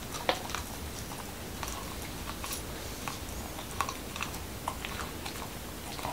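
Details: Momo the Corgi, a Washington DC dog, munches a whole wheat taco with cucumber and beef; scattered crisp snaps and softer mouth clicks repeat irregularly in a hushed small room.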